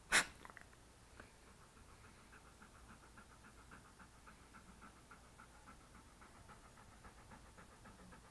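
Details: A sweet English Cream Golden Retriever, male, sitting by a desk and being petted, filmed with an SJCam SJ4000 action camera; a click opens, then soft, even, fast panting breaths continue throughout.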